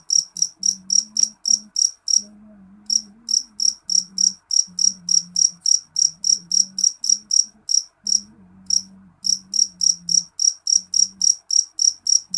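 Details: Piercing chirping from a jeliteng cricket, described as loud, with short high-pitched pulses about three and a half per second, pausing briefly twice, over a faint low droning hum.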